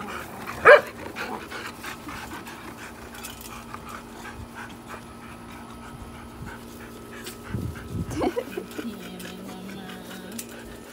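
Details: A tiny Chihuahua barking at big dogs, a husky and a boxer, gives one sharp, high bark, followed by quieter panting and a thin, drawn-out whine.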